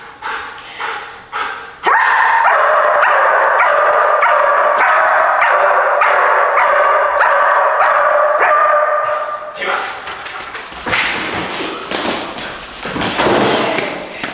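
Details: Young German Shepherd taken into an abandoned movie theatre for training in a new environment: a few short yips, then a long steady whine with pulsing barks over it, ending in shriller broken cries in an echoing hall.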